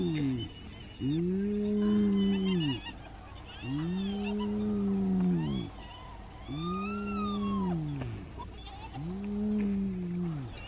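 A hyena gives low, hooting calls that arch up and fall away, repeated about every two and a half seconds.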